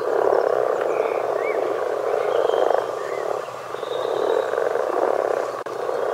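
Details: Continuous massed croaking of common frogs, a low rough purr rising and easing in waves, with faint bird whistles in the background.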